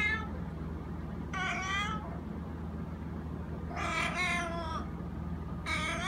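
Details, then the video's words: A male house cat, said to make this noise all day and sometimes at 6 am, meows three times with a fourth starting at the end. The calls are rising-falling and strongly harmonic, over a constant low hum. "The (Little) Cat's Meow"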